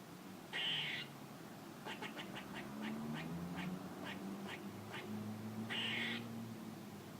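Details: A squirrel gives two harsh, high bursts about five seconds apart; between them comes a run of rapid soft clicks and a low, wavering tonal sound.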